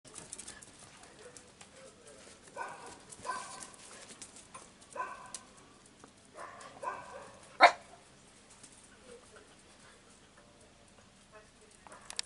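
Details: Pregnant female Italian Greyhound at 58 days of pregnancy, five days before the due date, giving short clusters of tonal, whimpering calls with a few seconds between groups, plus one sharp click and faint room noise.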